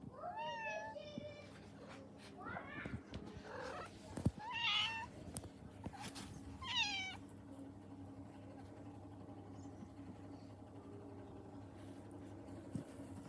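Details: Pet cat giving several short high meows with rising-falling harmonic contours, in bursts around the first seven seconds, followed by quieter background hum and faint room noise.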